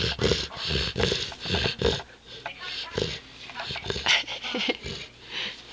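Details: Mya, a 6-month-old Saint Bernard puppy, snores loudly during a deep nasal nap: rough, breathy bursts repeating about once a second, with some quieter gaps in between.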